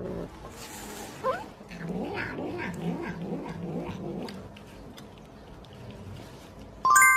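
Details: Domestic cat giving a long, low, wavering yowl that rises and falls for several seconds, then fades, followed by a brief, sharp electronic tone at the very end.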